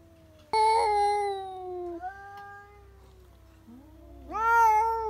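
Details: Domestic cat breaking into a scream, usually set off by a cat seen outside; an abrupt loud yowl that sinks into a low moan, followed by a sudden sharp, rising wail at the end.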